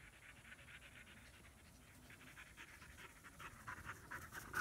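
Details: German Shepherd puppies in Florida, a female born August 2016 and her half-brother Psycho, panting during their first playtime together; quick rhythmic huffs about two per second, growing louder toward the end, with a faint steady hum behind.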